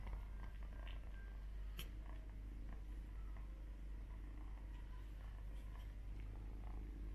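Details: Two Persian kittens suckle from their brother as if he were their mother; a soft, steady low rumbling purr runs throughout, with faint rustling and small clicks indoors.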